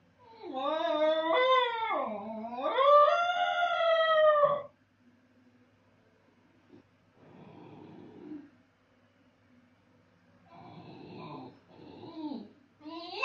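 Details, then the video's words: A lone Basenji howls indoors after its owner goes out: a long undulating, yodelling howl swooping up and down for four seconds, then quiet whines and breathy sounds, and a fresh howl beginning. "When Master is gone howling basenji"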